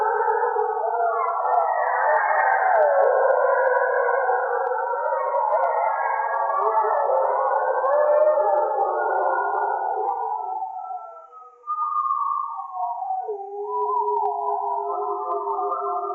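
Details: Several gray wolves howl together at night in the northern forest of Voyageurs National Park, by a lake, with long sliding tones overlapping in a wavering chorus.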